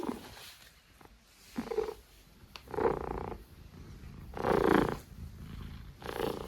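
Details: Stitch, a pet cat said to snore sometimes, giving rough, breathy snores in irregular bursts, some louder and longer than others, with short quiet gaps between breaths.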